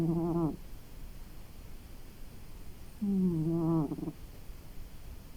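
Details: Sleeping after a long day, the domestic cat Maki gives two low, buzzy snoring breaths about three seconds apart in a quiet room.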